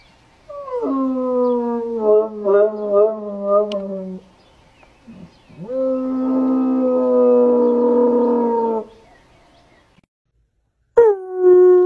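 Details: Excited bloodhounds, howling as a way of communicating, hold long steady tones with a slight wobble in the first few seconds, then a broader sustained howl after a short pause, and a fresh sliding cry at the close.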